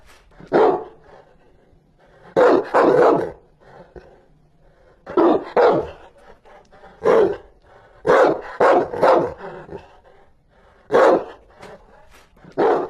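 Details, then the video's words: Rottweiler barking fiercely: loud, harsh barks in short bursts of one to three, separated by pauses of about one to two seconds, with no other sounds. "The sound of a dog barking is very fierce, the sound of a Rottweiler | เสียงหมาเห่า ดุมาก"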